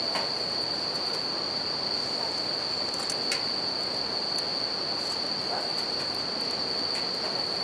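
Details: Night chorus of bell crickets by a riverside campfire, sounding as one continuous high-pitched ring, overlaid by scattered snaps of burning wood and a constant hiss of running river water.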